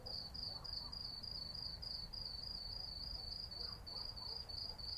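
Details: Summer night in the city with cicadas calling, a shrill high tone broken into quick regular pulses, roughly three each second, above a soft low hum of distant traffic.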